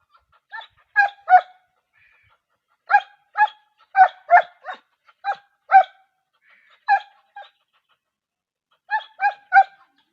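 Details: Dog, shown as a wolf dog breed from Pakistan and Sindh, giving short clipped barks in clusters of two to four, with gaps of silence between bursts; about fifteen barks overall, clean background with no other sounds.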